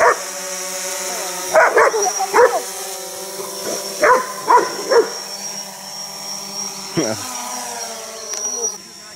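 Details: A German Shepherd meeting a DJI Phantom 4 quadcopter drone for the first time barks in short, irregular bursts over the drone's steady, high mechanical whine.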